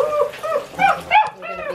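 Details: Six-week-old Great Dane puppy whining during its first bath, which the puppies hated: wavering nasal whines rising and falling in short bursts, with one sharper yelp.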